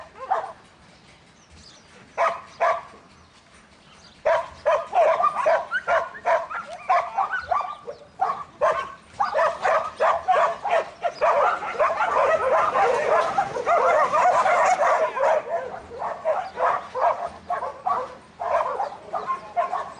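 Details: Young male Border Collie Buttons, in training, barks after a quiet start, building into a long, dense stretch of rapid, overlapping barks with only brief gaps, then continuing in separate sharp barks.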